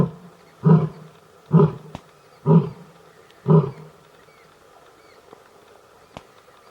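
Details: Lion roaring during mating in Gir National Park, Sasan Gir forest: four deep, grunting roars spaced about a second apart, each short and low, then quiet natural background with faint clicks.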